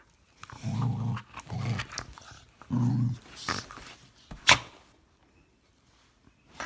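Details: Norwegian Elkhound, female pet dog indoors, wanting to stay up and play instead of falling asleep; low grumbling growl-like noises in short bursts, three main phrases within four seconds, then a sharp click and quiet.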